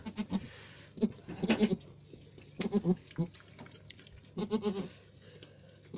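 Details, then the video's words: Farm-kept Alpine goat giving short, pulsed, quavering bleats in clusters around one, one and a half, three and five seconds, with quiet gaps and a low background hum. "alpine goat"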